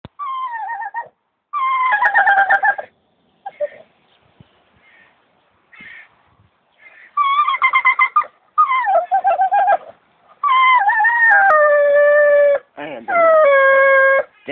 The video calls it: the singing staffordshire bull terrier part 2